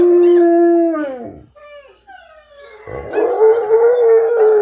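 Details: A Rottweiler, howling while listening to other dogs howl, gives drawn-out howls that slide downward, then a long wavering one.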